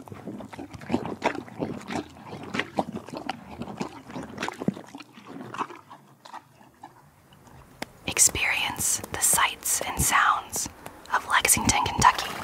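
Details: Hank the horse at the Kentucky Horse Park in Lexington, Kentucky, loudly crunches and chews carrots, apples and peppermints after several seconds of soft human talking.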